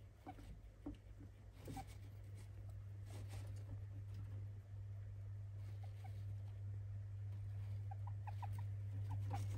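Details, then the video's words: Pet hamster indoors making squeaks its keeper calls unusual, never heard before and a worry: a run of short, faint high chirps clustered in the final seconds over a steady low electrical hum. "喋るハムスター / Hamster berbicara"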